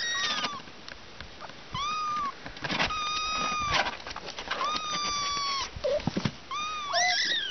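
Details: Kittens at a picnic, outdoors in the morning, giving a run of high, arched meows, each rising then falling, repeated roughly every second with short gaps, plus a few sharp clicks and rustles between calls.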